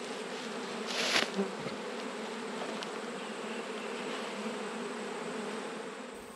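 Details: A steady droning hum rises from an autumn honey bee colony opened for inspection, with one sharp handling knock near the start, then an even, unbroken buzz that fades slightly at the end.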